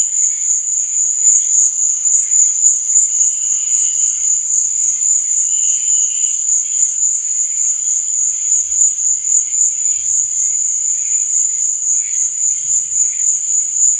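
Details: Night chorus of crickets: a constant shrill ringing trill dominates throughout, while fainter, lower pulsing chirps and a few brief held notes surface now and then underneath.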